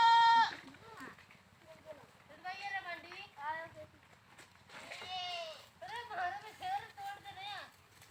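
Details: Goats calling with repeated tremulous bleats, a short bright cry at the start, then clusters of wavering, overlapping bleats over a low background rumble.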